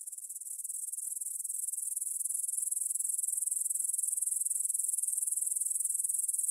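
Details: Evening meadow chorus of grasshoppers near the Svensky monastery in Bryansk, Russia, 9pm, 6 September 2020, stereo Tascam DR-44WL: thin, high, sizzling stridulation in fast even pulses, growing slightly louder over the first second.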